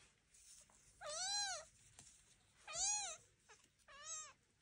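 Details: Three clear, rising-then-falling kitten meows, strongly harmonic and shrill, about a second apart, from Devon Rex kittens exploring a room on their first walk with mother and aunt nearby.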